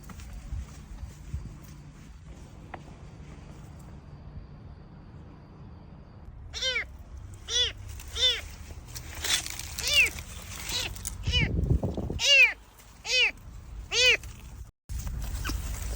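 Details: Lost kitten, apparently separated from its mother, crying alone among flowers outside a front door: a series of clear rising-falling meows, about eight in the second half, preceded by quiet background hum.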